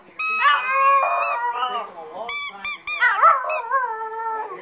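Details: Pet male Chihuahua that has learned to howl at a certain squeaky toy: a sustained squeak, then wavering howling notes broken by quick toy squeaks and a rising-falling yowl, with possible voices in the background.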